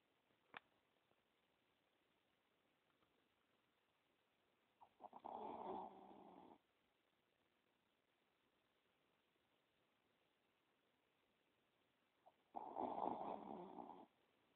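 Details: Taco, a pet Chihuahua, snoring while asleep with his eyes open indoors: two rough, breathy snores about seven seconds apart, each lasting over a second, with near silence between.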